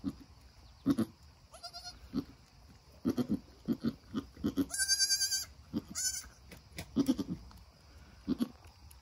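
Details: A Nigerian Dwarf mother goat and her newborn doeling kid just after birth: low murmured grunts in clusters, then a long, piercing, high bleat followed by a second high call, with more low grunts after.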